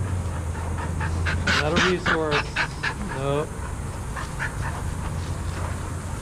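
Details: Adoptable shelter dogs playing together at a daycare: a quick cluster of sharp, tonal barks and yelps between roughly 1.5 and 3.5 seconds, then quieter scattered yips over a steady low rumble of background noise.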